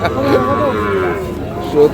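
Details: Sahiwal bull calves at Ambari market in Parbatipur upazila, Dinajpur, on 9 February 2026: a short, harmonic bellow that rises and then bends downward, with traders talking and laughing nearby.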